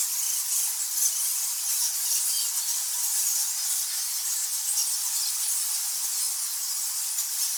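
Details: Thousands of nectar bats in a cave make a continuous hissing blur of thin high squeaks and squawks, merging into one steady shimmering chorus with no lower sounds.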